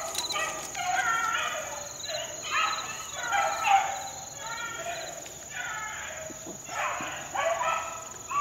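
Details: Young four-month-old Beagle pups worked in the wild in 2013: distant, wavering hound bays come in repeated drawn-out bursts, several voices overlapping and fading in and out, over a steady high insect hum.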